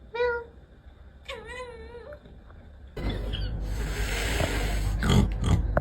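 A domestic cat gives two drawn-out, wavering meows, then loud rustling noise takes over.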